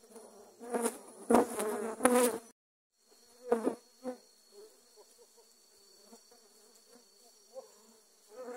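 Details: Attacking dwarf honey bees disturbed by grass cutting, swarming over the camera: loud crackling bursts at first, a short silent gap, then a continuous low humming buzz with scattered knocks.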